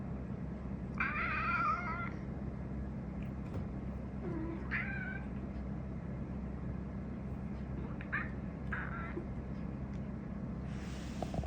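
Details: Pet cat seemingly telling its owner something, giving a series of short, varied meows and chirps spaced a few seconds apart against a constant low background hum.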